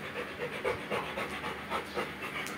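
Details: A Rottweiler, apparently after running at speed, pants hard in quick, rhythmic, breathy bursts, several each second.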